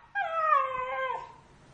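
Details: A large pet dog gives one drawn-out, tonal whine that starts high, slides gently downward and fades after about a second, with a quiet background.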